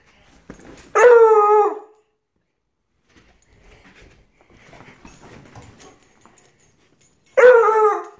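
A Redbone Coonhound puppy gives two short, high, drawn-out bays that slide downward in pitch.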